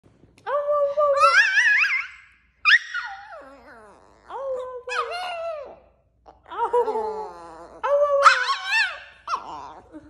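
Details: Rat Terrier howling in about five drawn-out bouts, each a wavering, yodel-like tone that slides up and down in pitch, separated by brief pauses, with no other clear sounds.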